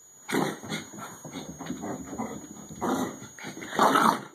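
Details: A 14-year-old female Bichon Frise dashing around indoors on her "Bichon racetrack" laps; short huffing, grunting bursts come in uneven clusters with brief quiet gaps, over a steady high electronic whine.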